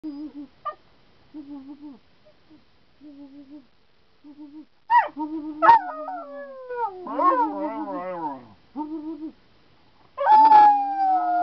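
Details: Pet dog Mia howling back in reply to her papa Sam's howls; short steady tones at first, then louder wavering, rising and falling howls, ending with a long sustained howl.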